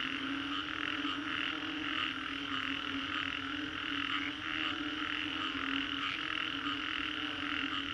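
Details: Post-storm frog chorus at Green Corridor, Singapore, a thick layered mass of croaking and trilling that never pauses, strong high pulsed tones over a constant low hum throughout.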